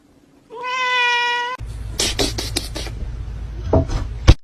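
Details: Kitten giving one steady, drawn-out meow about a second long with a rich harmonic tone, then people talking and laughing, with a low rumble and a sharp knock at the end.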